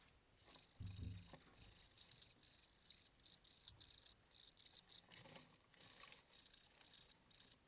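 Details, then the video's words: Cricket chirping: a string of very high, shrill, pulsed chirps, each a short buzzy burst repeated roughly twice a second with brief uneven gaps, plus a faint low thump near the start. "cricket chirping"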